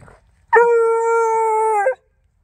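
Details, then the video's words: Beagle, one of three, giving a horn bugle at about one in the morning in a yard while trailing a rabbit, telling the others he found something: a single long, steady, ringing bawl of about one and a half seconds, rich in overtones, otherwise quiet. "Beagle hunting rabbit at night - Wait for it - Horn Bugle"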